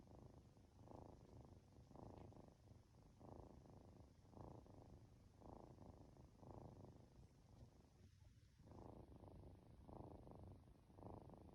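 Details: Purring of a two-month-old Norwegian Forest Cat kitten stroked at home as it drifts toward sleep; continuous low throbbing rumble swelling and fading in cycles roughly once a second, quiet and close.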